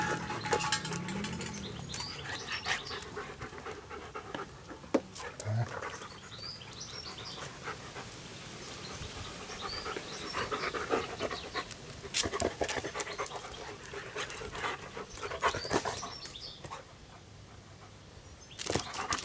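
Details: German Shepherd named Anita, recorded in 2008 while playing with an American Staffordshire Terrier puppy: quick, breathy panting, roughly three to four breaths a second and unevenly paced, mixed with scuffling and soft knocks of rough play.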